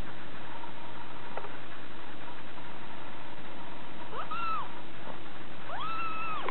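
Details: Female Scottish Fold munchkin kitten, six weeks old, kept indoors as a pet, calling with two thin meows, the second longer and level before falling away, against a constant low hum.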